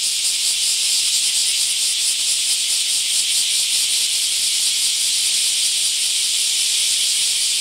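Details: Bear cicadas in a mass emergence in a park in Akashi, Japan: a dense, continuous high-pitched buzzing chorus, steady and unbroken, with a faint fast pulsing running through it.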